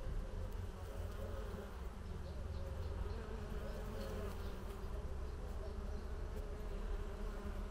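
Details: Many bees at work beneath a leafy terrace pergola during a hot summer afternoon, producing a continuous low, thick hum; the overlapping buzz stays constant in pitch and loudness from start to finish.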